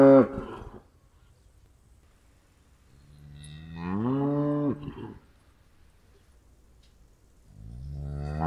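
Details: Cow mooing: a brief moo at the start, then a long harmonic moo that rises and holds for about two seconds, and a third rising moo beginning at the end; quiet pauses between calls.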